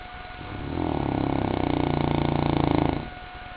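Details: Goliath, a St. Bernard, asleep and snoring: a single drawn-out rumbling breath lasting about two seconds, low and pulsing with a rapid fluttering texture, rising in loudness and then fading back to quiet.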